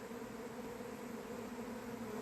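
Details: Swarming honey bees at a beekeeper's apiary in late April, unusually early in the season: a continuous, even droning hum with a strong low tone and a higher overtone, steady throughout.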